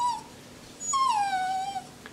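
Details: A short whimper from Coco the Jack Russell Terrier, then after a pause a longer sung whine that glides downward and levels off, his attempt at wishing everyone a Happy New Year.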